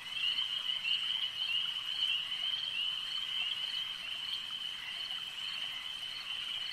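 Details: Lakeside frog chorus, many callers blending into a continuous high-pitched ringing trill, with soft pulses repeating roughly twice a second and a slight swell in the first two seconds.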